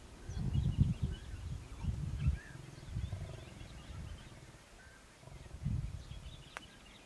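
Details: Wild lions, a family with seven cubs playing around their parents, the male Junior Nkuhuma among them: deep, low grunting growls in uneven bursts about a second apart, fading then returning, with faint birdsong above.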